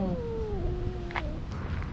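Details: Recently neutered calico cat in a park, angry and feeling trapped by other cats surrounding her territory: a long, low, drawn-out yowl with stacked overtones that glides slowly downward, over steady low background rumble.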